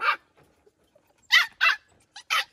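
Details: Rescued white puppies kept indoors, making a fuss when shut in a cage: short, sharp, mid-pitched barks and yips in a quick burst, then a pause, then four more in close succession, with nearly silent gaps between them.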